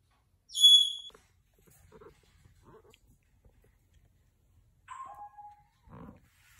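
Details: Domestic cat, a mother carrying her kitten in her mouth: a loud high, harmonic-rich cry near the start, then a softer lower meow falling in pitch about four seconds later, with faint rustling between.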